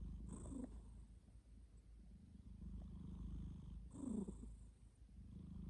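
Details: Domestic cat asleep and snoring, a steady low rumble broken by two stronger, raspy breaths near the start and about four seconds in.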